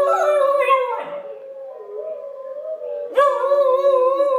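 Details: Female Pembroke Welsh Corgi puppy howling along with wolves playing on a recording indoors: sustained tonal howls held steady, wavering slightly, a short break near one second, then a louder renewed howl rising in again.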